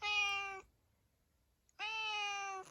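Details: Tuxedo cat named Zakio answering its owner indoors with two clear, drawn-out harmonic meows, each about half a second to a second long, separated by a quiet pause.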